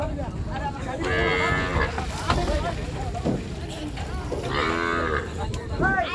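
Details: Big cows and bulls coming off a boat at the Gabtoli cattle market, 2022. Two long, harmonic moos of about a second each are heard over a steady rumble of voices and motors.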